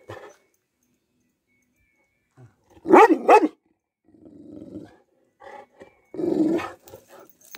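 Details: Cane Corso in attack mode: a short growl, then two loud, clipped barks in quick succession, followed by a low throaty growl and a final rough, drawn-out bark.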